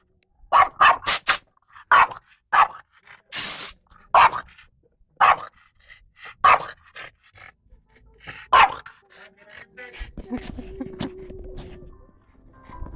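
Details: French Bulldog Lara barking wildly at a compressor. A volley of sharp, fairly irregular barks for about nine seconds, interrupted by one hissing air burst, then steady low machine rumble as the barking stops.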